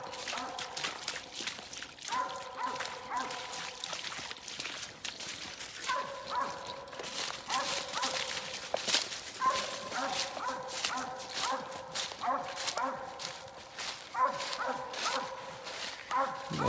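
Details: Hunting dog telling on a Mississippi gray squirrel during a squirrel hunt, giving continuous overlapping barks, often in quick doubled bursts, with fainter barking from other dogs behind and brief human remarks.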